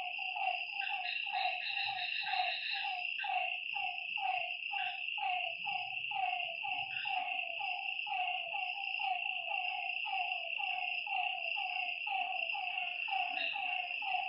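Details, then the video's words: Nighttime frog chorus by a lake: steady streams of short, harmonically rich croaks falling in pitch, repeating about once a second from several callers, beneath a continuous high insect buzz. "Lakeside night creatures and frog sounds"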